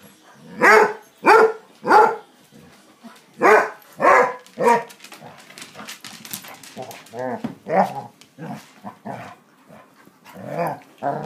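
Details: A rescued male Basset Hound named Kouper, four to seven years old and awaiting adoption, lets out a string of loud, sharp barks roughly every half second, followed by softer, lower voiced sounds and further scattered barks.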